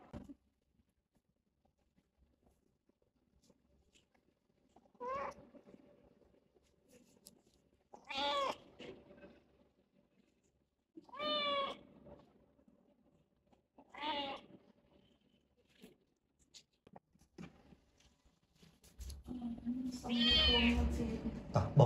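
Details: Rescued stray kitten with cat flu at the vet for the first time, meowing: several separate plaintive, wavering meows every few seconds, ending in a longer louder cry over rustling and handling noise.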